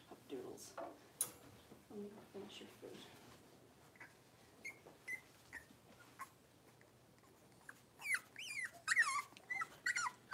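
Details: Five blenheim Cavalier King Charles Spaniel puppies, two females and three males born around New Year's, give high, wavering yips and whines in their puppy pen, with a person talking early on.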